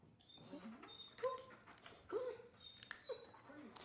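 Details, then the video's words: Male dog whining indoors out of anxiety during training to hold a place and stay calm. Three short, tonal whimpers bend up and down, about a second apart, with faint clatter and room noise between them. "how to STOP your dog from WHINING"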